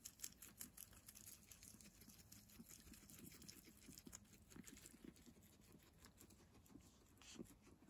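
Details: Several guinea pigs eat fresh herbs. Steady, rapid munching crackles and crunchy bites continue throughout, with small rustling tears between chews over a quiet, faintly hissing room background.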